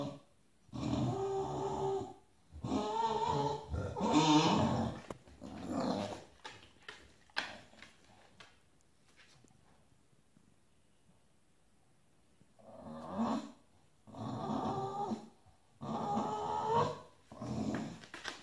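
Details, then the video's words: Bulldog grumbling over its bed being taken by another dog, indoors: bursts of rough, throaty growling in separate phrases about two seconds apart, a long quiet gap mid-clip, then more grumbles. "Son lit volé, ce bulldog pique une colère"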